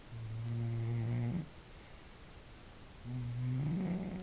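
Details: A sleeping cat, described as the loudest snoring cat in the world, indoors: two long, deep, droning snores with a buzzy, harmonic tone, the second rising slightly in pitch toward its end, separated by about two seconds of quiet.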